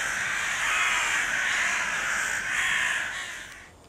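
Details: Asian elephant at Berlin Zoo, where large bull Victor and female Drumbo live, on 15 April, gives a long, harsh, brassy trumpet that swells twice before fading out.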